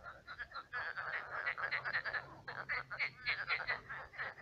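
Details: Many frogs croaking at night in a shallow pond turned swamp: a dense chorus of short, rattling croaks overlapping in rapid pulses, with mid-pitched bursts repeating several times a second and no other clear sounds.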